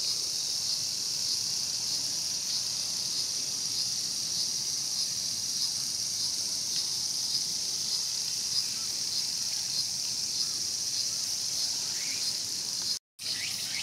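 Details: Cicada sound from Showa Kinen Park, Tokyo, 2020, recorded as a mantis fed on a cicada: a softer but constant high buzzing hum carries on steadily, with one short silent gap near the end.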